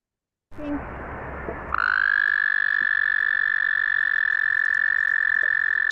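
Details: An American toad, an explosive breeder of the Eno River watershed calling in early spring (around World Frog Day), gives a long, steady, high musical trill holding one pitch for several seconds, the most extended trill of local frogs and toads.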